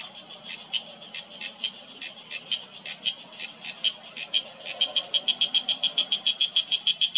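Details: Cicada calling in an Uttarakhand mountain forest, September 2023: buzzy pulses start irregular and soft, then swell into a fast, even, loud series about three per second.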